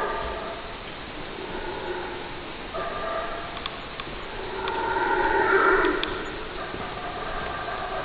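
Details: Howler monkey howls, moderate and hoarse, rising in overlapping groaning waves that swell near the middle and ease off, against a steady background hiss.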